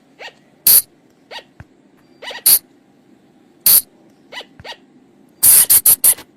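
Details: Flying lemur calls played at night to lure the animals: sharp, broadband shrieking bursts alternating with fainter short rising notes, irregularly spaced about every second over a steady low hum.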